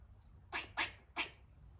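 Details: A rescued female squirrel in heat gives three short, harsh, raspy barks in quick succession as mating calls while eating.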